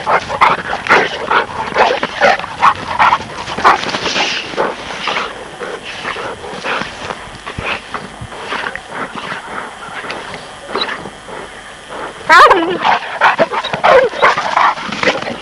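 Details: Presa Canario and Neapolitan Mastiff puppies playing together; rapid, irregular yelps, growls and squeaky barks, about two or three a second, with a sharper burst near the end.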